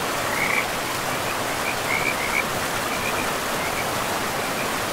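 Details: Frogs calling by a forest river: a cluster of brief, grating trills in the first half, then scattered fainter ones, all set against the constant hiss of rushing water.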